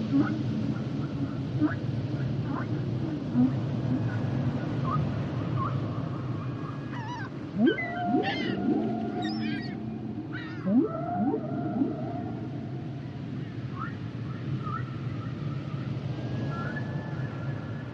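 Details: Humpback whale song: rising swoops and sharp upward sweeps cluster mid-recording, with long steady tonal whistles drawn out above them and a deep, constant underwater rumble throughout.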